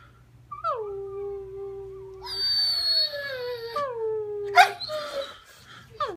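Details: Three-year-old Rhodesian Ridgeback/Labrador mix foster dog, a sympathetic crier, howling along; descending tonal wails overlapped by a higher, strained whining voice joining in, ending with sharp rising yelps.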